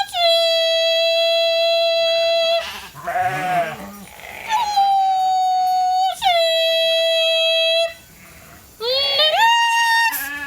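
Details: Hungry domestic sheep flock at Nature Lane Fiber, running into the holding pen for their evening grain. Long, loud, steady bleats, each held for over a second. Three main calls with short gaps between them, and a rougher, quavering call in the middle.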